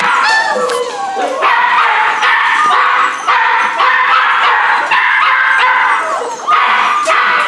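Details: A litter of rescue puppies, a Corgi Airedale mix, keeps up a steady chorus of overlapping high whines punctuated by sharp short yips, with only brief dips in loudness.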